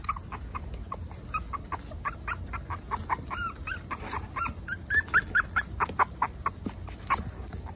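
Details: Several four-week-old Maltese puppies give rapid, overlapping short yips and squeaks. The calls are clipped and irregular, with a few longer rising whines near the end and a faint low hum underneath.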